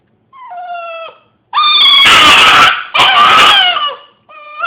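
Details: Hiro the dog howls indoors: a thin steady tone, a pause, then two long loud rough howls with strong overtones, and a final rising note.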